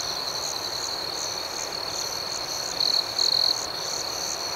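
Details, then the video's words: Crickets chirping through the night, a constant shrill tone with evenly spaced higher chirps roughly twice a second, and two short louder bursts from a nearer insect toward the end. "Soothing Cricket Sounds"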